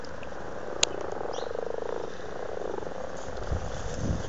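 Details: Pond frogs in Blarney, County Cork, Ireland, recorded in February 2012 while very amorous, give a soft, rapidly pulsed purring croak in the middle of the recording, set against steady low background rumble and one sharp click.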